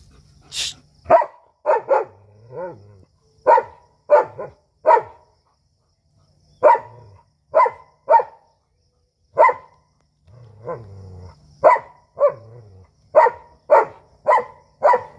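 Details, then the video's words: Dogs squaring up before a fight, an Indian street dog and a German Shepherd, sharp loud barks fired in uneven bursts of two to four, about a hundred a minute, with brief pauses and faint low growls between. "dog fight video"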